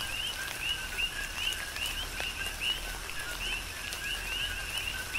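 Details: Tropical rain on Hawaii's Big Island with a chorus of coqui frogs: repeated whistled two-note calls, about seventy a minute from the nearer frogs, rising at the end, against a background of steady rain.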